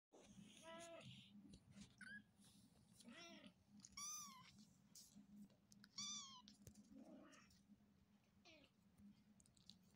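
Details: Persian cat. High, wavering meows from a Persian kitten come in short bursts, some rising then falling, repeated every second or two. A low steady hum sits underneath throughout.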